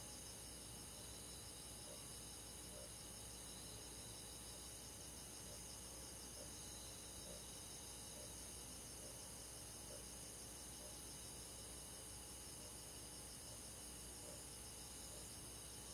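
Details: Night chorus of crickets in summer countryside, steady high pulsing chirrs from numerous insects, with soft repeated mid-pitched notes at about one-second intervals over a faint low hum.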